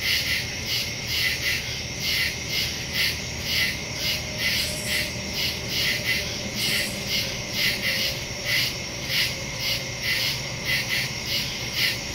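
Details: A night chorus of crickets in the woods, September 2, 2023, via Samsung Galaxy S22 Ultra and Shure MV88+ stereo microphone; piercing, evenly pulsed chirping continues without pause, with soft low background tones.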